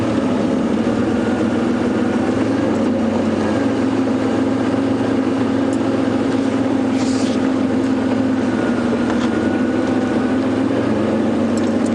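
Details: Loud, continuous vehicle engine drone with a steady hum throughout, no animal calls.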